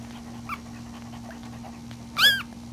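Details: One-week-old puppies sleeping and nursing; a single short high whimpering squeal near the end, with a fainter squeak earlier, over a steady low mechanical hum.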